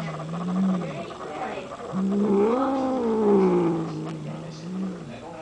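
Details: Cat from a household of four named Simon, Binx, Piper and Lola, hanging out: a long, drawn-out, wavering yowl that rises and falls in pitch over about five seconds, with faint human voices in the background.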